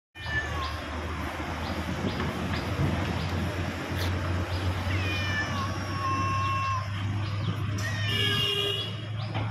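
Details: Cat; angry yowl; expressing anger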